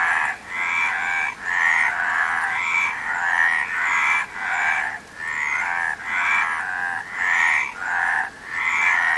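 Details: Harsh, buzzy frog croaks repeat in steady bursts about once a second, several frogs overlapping into an unbroken chorus, with faint high squeaks above.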